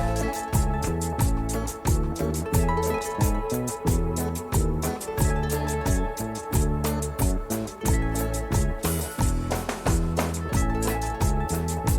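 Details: Upbeat instrumental music with plucked guitar strums and a bouncing rhythmic bass fills the whole stretch, with no animal calls.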